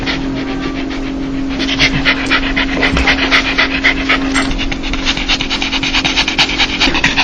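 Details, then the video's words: Happy dog's laughing sound, a breathy panting heard when joyful: rapid rhythmic huffs throughout, growing louder and more regular after the first two seconds, with a constant background hum. "강아지웃음소리 강아지 행복할때나오는소리"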